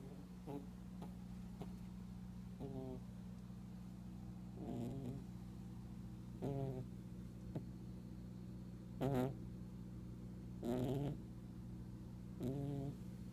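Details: Mr. Fluffy, a pet rabbit, asleep and snoring loudly enough to be heard a room away; short soft nasal snorts about every two seconds over a steady low indoor hum.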